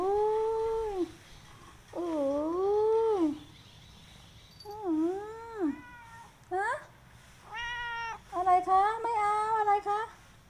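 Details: Affectionate pet cat calling for attention, giving a series of six or more meows: long, bending, nasal cries at first, then shorter, choppier ones crowding together toward the end, in a quiet indoor setting.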